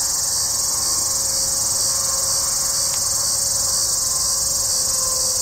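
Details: Hadoa duryi cicada (once called Tibicen duryi) calling within a juniper stand near Walsenburg, Colorado, at 2:38 pm on July 2, 2012, as clouds moved in; an even, sizzling electric whine runs without pause, with a faint brief click midway.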